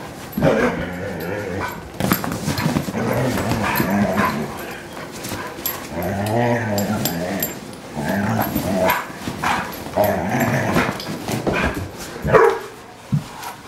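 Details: Several low, harmonic barks and woofs come from Kingsley, a purebred 4-year-old German Shorthaired Pointer cared for by HART All Breed Dog rescue, spread across the recording, with a human voice mixed in.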